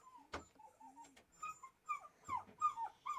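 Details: A female Cocker Spaniel, upset at being separated from her people, whimpers in thin, high, wavering whines that repeat irregularly, mixed with sharp clicks and taps nearby.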